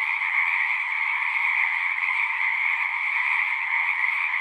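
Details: Many frogs call together in a continuous massed chorus, a shimmering, even trill that neither rises nor falls, with a fainter high hiss above it and no other sounds.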